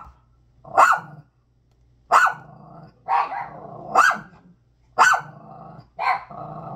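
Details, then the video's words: Dog barks at a bag, loud broad barks spaced about a second apart with a sustained low growl filling the gaps, six barks in all. "dog barking loud on #bag"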